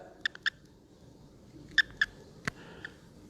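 An American toad gives short, scattered chirps, the release call a male makes when picked up.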